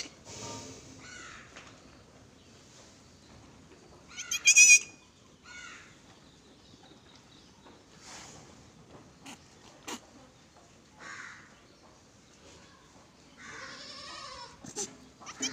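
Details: Goats at a farm in Gulbarga, Karnataka, giving several short, wavering, nasal bleats spread through the recording, the loudest near the middle, amid quiet clatter and faint background noise.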